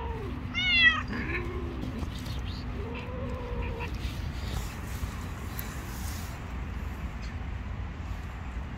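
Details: Stray cat on the street, hungry and wanting food yet afraid of other cats, lets out a sharp rising meow followed by softer, lower drawn-out mews, then only quiet background rumble.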